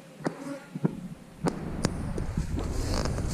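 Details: Honey bees at an eight-frame hive give a low, steady hum beneath sharp knocks and clicks from handling the hive. The hum swells into a fuller, rushing buzz in the last second.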